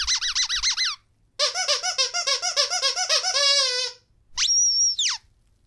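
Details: Pet Rottweiler teasing its owner indoors: a run of high, wavering whines, then a longer series of rapid warbling yelps that slide up and down, ending in a short, thin, steady squeal after a brief pause.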